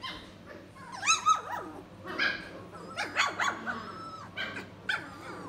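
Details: Several three-week-old Standard Poodle puppies whining and yelping together, overlapping rising and falling squeals in quick bursts, roughly one every second, over a low background hum.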